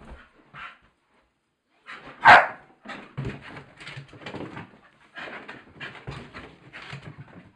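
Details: A Staffordshire Bull Terrier playing on the stairs gives one sharp bark, then a run of rough huffs and grumbling play noises.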